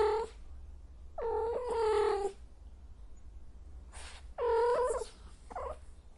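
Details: Cat in heat yowling: three drawn-out, wavering, harmonic wails, each one to two seconds long, with a low steady hum underneath.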